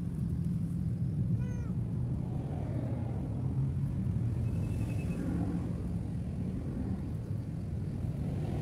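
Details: Cat abandoned by the roadside with no food nearby gives a single clear, falling meow early on, then a faint short mew later, over a steady low rumble of passing traffic.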